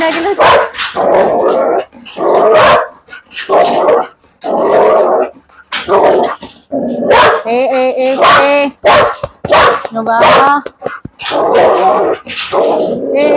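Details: Barking Belgian Malinois: rough, broadband barks come roughly every second in uneven runs, some mixed with growling, while people speak Malayalam and tell the dog not to bark.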